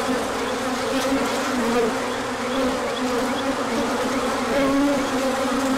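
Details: Bees pouring out in sunshine after cold days for a large orientation flight, 24 March 2024, pollen inbound afterwards; thick unbroken buzz, several higher whining tones sliding past the microphone.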